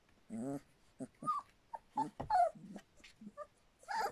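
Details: Three-week-old Standard Poodle puppies from River's litter: a low harmonic grumble, then short whimpers and a high bending whine, separated by quiet gaps.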